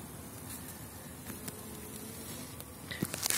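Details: Elgon bee colony on Warsaw frames in spring 2019, bees packed across the last frames; soft, even hum of the swarm with faint tonal drone and brief rattling of equipment near the end.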